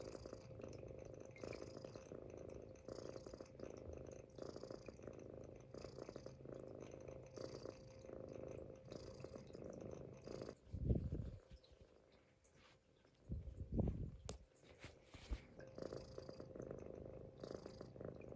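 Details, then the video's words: Munchkin kitten dozing on a stomach, snoring in low rhythmic rumbles with each breath; midway the snore pauses for several seconds, broken by a couple of soft thumps, then the breathing rumble resumes. "Kitten snoring on my stomach 飼い主のお腹の上でいびきをかいて寝る猫"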